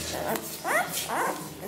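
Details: Litter of Ca de Bou puppies, ten days old, offspring of Ivi and Tito: two short, clear whimpers, each a thin wavering whine that bends up and down, separated by a half-second pause over soft room noise.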